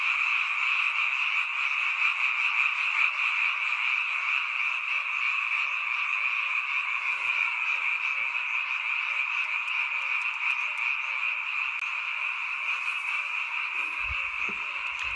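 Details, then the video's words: Night chorus of many frogs at a mountain village, a sound heard only at this time of year. Dense, continuous high trilling croaks fill the recording, with scattered clicks and a low thump near the end. "잠이 오지않은 밤 개구리 소리와 잠을 청해보세요"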